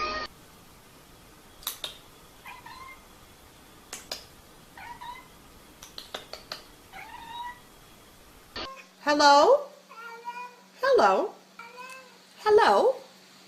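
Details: Domestic cats making weird noises, from a funny compilation: a run of short, fairly high meows a second or two apart, then, after an abrupt cut, louder, longer wavering meows that rise and fall, with faint background hiss.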